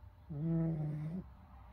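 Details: Esmae the fox, asleep indoors in a room, gives a single drawn-out, low, tonal snore of just under a second. It is humming and harmonic, with a slight upward lift at the end, in a quiet room.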